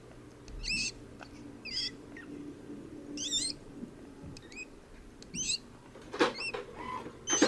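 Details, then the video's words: Open-mouth breathing and snoring from a golden hamster, heard as a series of brief squeaky, warbling wheezes roughly once a second, ending in louder rustling knocks against a low background hum. "Open mouth breathing and snoring at Golden Hamster"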